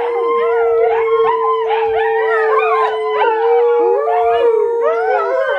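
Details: Volga Wolfhound puppies, 55 days old and hungry, howl together in a chorus of wavering, overlapping cries over one long steady note at feeding time, adults nearby.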